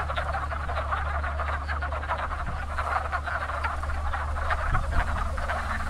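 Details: Many wood frogs calling together at a busy pond in spring, early in the breeding season; continuous rattling, duck-like clucks overlap thickly, over a loud constant low hum.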